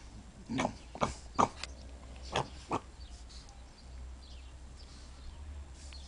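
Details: Pugs out in the snow; several short, harsh snorting grunts in quick bursts over about three seconds, then steady low rumbling background noise with no further calls.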